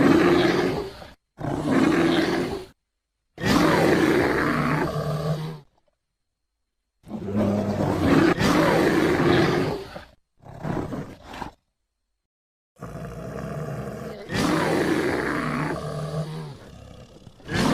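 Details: American black bear (Ursus americanus), roar.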